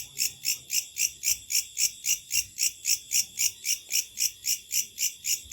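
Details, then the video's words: A night chorus of locusts, loud and high-pitched, each buzzy pulse rising and falling in a regular beat of about four per second. "Sound Effect of Locusts at Night"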